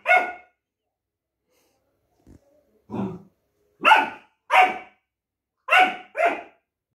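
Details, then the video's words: Long-coated German Shepherd puppy protesting a multivitamin and talking back to its owner: a single sharp bark, a low grumble, then four loud separate barks in two pairs, with silence between. "Duke dislikes 👎 multivitamin & arguing with mom || Longcoat gsd puppy"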